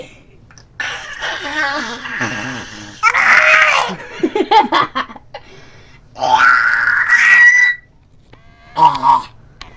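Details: Pet dog Sirius, coaxed to 'freak out' again indoors in a small room, produces strange whining, yodel-like and laugh-like vocal bursts with high sustained tones and rapid stuttering pulses, interspersed with human voices encouraging him.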